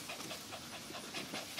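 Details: Natural Giant Schnauzer puppy, eight weeks old, one of a litter: quick rhythmic breathy panting, about six short puffs per second, steady and soft throughout, with faint hiss and no other voices.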